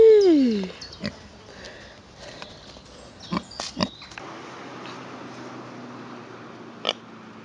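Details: A pot-bellied pig out on a walk on a hot summer day gives one short tonal squeal that slides downward, followed only by soft clicks and shuffling.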